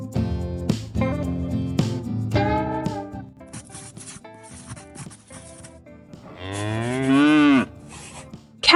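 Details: Cow mooing once near the end, a long, loud, wavering low call that rises and then falls, following guitar music with strummed chords that plays through most of the recording.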